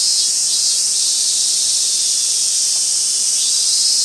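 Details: Robust cicada recorded at Gaikotsu-yama on 28 August 2021: a loud, steady, high buzzing hiss fills the clip, with faint pulsing swells near the lower edge of the buzz.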